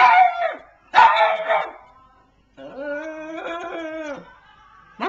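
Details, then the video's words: Compilation pug "talking": two quick, rough yelping bursts, a pause, then a longer wavering howl of over a second, and the start of another burst at the end. "AMAZING PUG TALKS"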